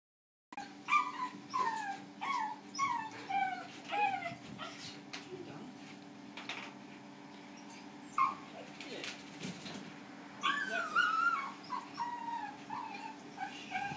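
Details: Small Maltese cross dog unhappy during his first hydrobath, giving repeated high whining whimpers and yelps in bursts, with running water, a steady hum of machinery and brief human voices and music in the background.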